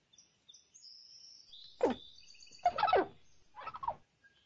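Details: A squirrel seen up close at a tree gives three harsh, throaty barking calls that fall in pitch, with thin bird chirps behind.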